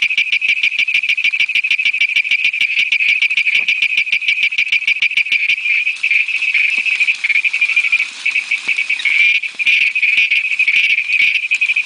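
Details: Western Ghats endemic Malabar Tree Toad giving a fast run of high, pulsed notes; the pulses grow denser and more overlapping midway, forming a continuous insect-like trill with no other sounds.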